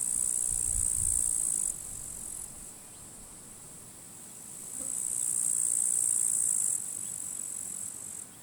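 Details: Grasshoppers, fighting in withered grass at a forest edge on a sunny, windy summer day at the end of July, give a high, steady hissing chirr that swells and fades over low wind rumble.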